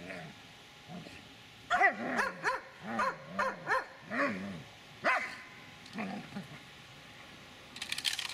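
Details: Eight-year-six-month-old Dobermann giving a run of deep, sharp barks about twice a second, then trailing off into quieter sounds and a burst of noise at the close.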